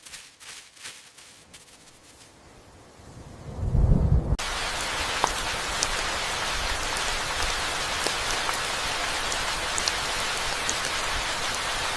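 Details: Rain with distant thunder: soft rustling at first, a low rumble building, then steady heavy rainfall with scattered drops and no animal voices.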